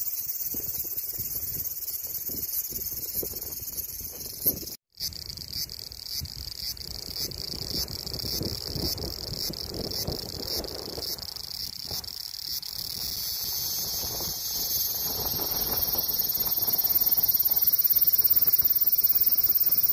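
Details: Cicada's ringing, high-pitched drone running on and on. It breaks off briefly near five seconds, then swells louder toward the end over a noticeable low rumble and rustle.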